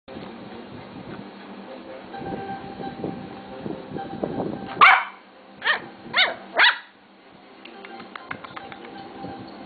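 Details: Three-month-old Lhasa Apso puppy giving four sharp, high yapping barks in quick succession midway through, with a murmur of television speech running underneath before and after.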